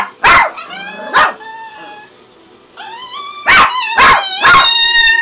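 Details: Pet dog, described as hungry, making her distinctive high whining noise: five short bursts with rising harmonic whistles, a gap in the middle, at roughly two per second.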